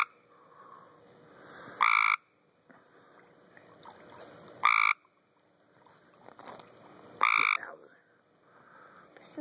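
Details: Several tree frogs calling in a pool, giving short rasping buzzy croaks roughly every two and a half to three seconds, with quieter background noise between calls.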